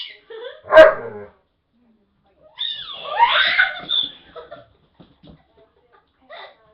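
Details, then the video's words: Pet dog barking at its owners: one loud single bark, then a longer drawn-out vocal stretch, followed by faint scattered sounds and near silence. "my dog blade barking"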